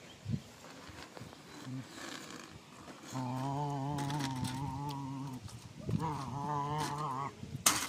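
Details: Pet Rottweiler at play, during the game in which it lost a tooth: a short grunt, then two long, low, droning groans lasting about two seconds each with a wavering tone, separated by a brief pause, against a faint background hiss.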